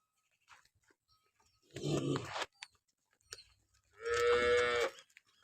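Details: Jersey Friesian cross cow for sale in Pakistan: a rough, breathy lowing sound first, then a loud clear harmonic moo near the end, with faint clicks in between.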